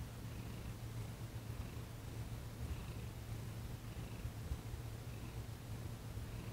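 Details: Thomas, a domestic cat, purring during a massage and Reiki session on December 28, 2021. The purr is a steady, low, continuous rumble under a soft background hiss.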